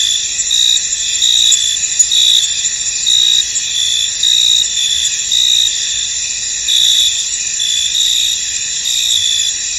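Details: Crickets in a misty, foggy field: a dense, steady high-pitched chorus, with brighter trilled chirp bursts rising out of it about once a second, continuous from start to end.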